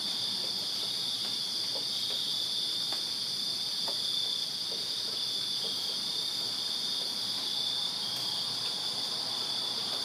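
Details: Summer-night crickets in a Virginia backyard produce a constant piercing trill, layered high bands unbroken for ten seconds, with a few faint soft clicks scattered through the quiet background.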